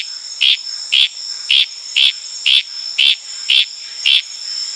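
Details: Litoria frog in Indonesian tropical forest on Tanimbar, recorded in the wild at night: eight crisp, high chirps at a steady rhythm of about two per second, over a continuous ringing buzz of crickets and other insects.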